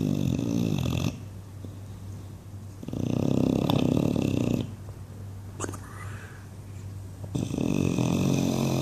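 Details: Loud dreaming snores from English Bulldog Buddy asleep indoors: three long, rasping, flappy snore bursts about two seconds each, with quieter breathing and a faint snort between, over a steady low hum.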